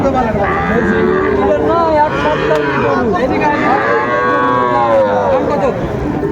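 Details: At a Chapainawabganj cattle market in Bangladesh on 19 September 2024, Sahiwal bulls and calves moo. Repeated overlapping bellows swell and fade across the stretch, set against constant murmuring voices of buyers and sellers.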